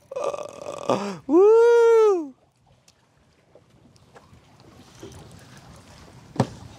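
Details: A loud, drawn-out human shout over boat and wind noise, with no animal voice. Afterwards only faint rumbling and a sharp knock are heard.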